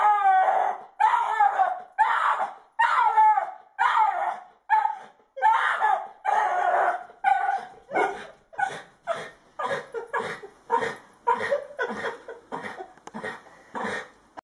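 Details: Jack Russell Terrier, excited at a squirrel teasing it: a long run of loud, high, strained barks and yelps, about one per second at first, then quickening into shorter, sharper yips toward the end.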